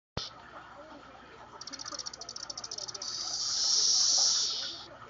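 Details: Captive periodical cicadas (Magicicada tredecassini) calling synchronously in a cage after hearing a playback of their own calls: a rapid ticking pulse train builds into a loud, steady high buzzing hiss that swells and then fades.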